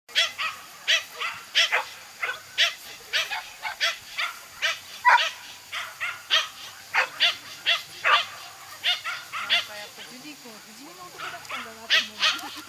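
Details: Toy Poodle during an agility run, giving rapid sharp yapping barks about two or three per second almost without pause, with a person's voice faintly underneath.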